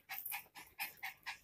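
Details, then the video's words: Mischievous Miniature Pinscher kept indoors, left alone in a bedroom all day and wrecking the house; rapid rhythmic panting in airy hissing puffs about every quarter second. "Naughty Dog Miniature Pinscher"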